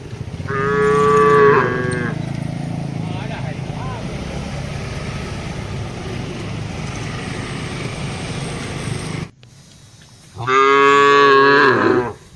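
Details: Herd of tame cattle grazing on wide open land, answering one another: a strong moo near the start, a long stretch of steady outdoor rumble, then a second full harmonic moo near the end.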